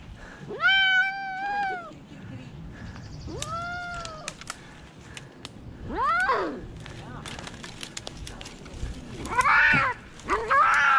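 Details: Rescued cats repeatedly meowing: a long arched meow, then shorter rising-and-falling ones every two seconds or so, ending in two harsher, strained cries, with light background noise.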